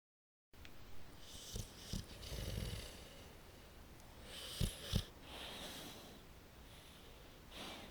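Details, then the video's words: Tara, a pit bull puppy sound asleep, snoring away: soft low rumbling snores in uneven bursts, two close together near the middle, with a faint airy hiss between breaths in a quiet room. "Snoring puppy"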